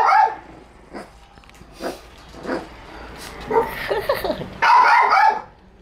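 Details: Several Shiba Inu dogs playing while one sleeps: scattered short barks and yips, then a louder burst of overlapping rough barking near the end.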